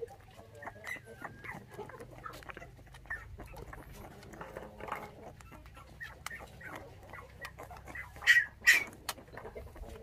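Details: Five orphaned puppies, their mother taken by dog thieves when they were six days old, being bottle-fed milk; scattered short squeaky whines and chirps over low background rumble, with a louder pair of sharp cries near the end and a person talking nearby.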